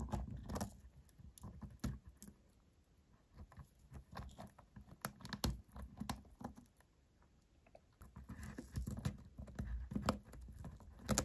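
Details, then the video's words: Tapping, clicky nibbling from a white hamster working through a tartlet with carrot and beet, in irregular bursts separated by a quieter stretch, indoors and very close. "Hamster’s crunching a tartlet with carrot and beet"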